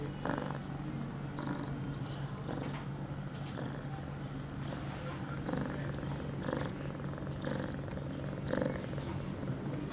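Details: Pia, an 8-month-old female domestic cat in heat, recorded September 23, 2011, two hours after her first birth control pill; steady low rumbling purr pulsing with each breath about once a second, close and indoors.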